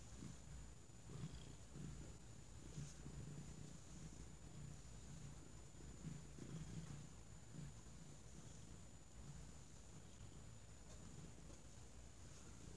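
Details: Domestic cat named Thunder lounging on an argyle blanket folded into a platform, purring: a soft, deep, continuous rumble rising and falling in gentle rhythmic waves, over a faint constant high-pitched hum.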